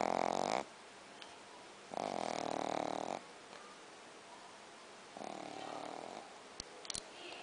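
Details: Snoring from Logan the Shih Tzu: a loud raspy snore, then a second longer one, and a softer third, separated by near-silent pauses with small ticks near the end.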